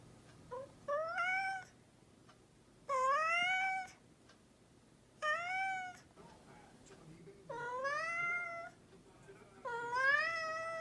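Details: Domestic cat meowing repeatedly, each meow a drawn-out, rising then falling wail lasting about a second, six calls spaced one to two seconds apart over a low steady hum.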